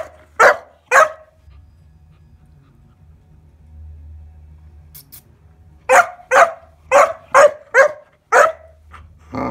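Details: Kuvasz puppy named Bowie, 14 weeks old, barking indoors while playing with a weighing scale: two sharp barks, a pause of about four seconds, then a quick run of six or seven barks and a final yelp, with a low hum underneath.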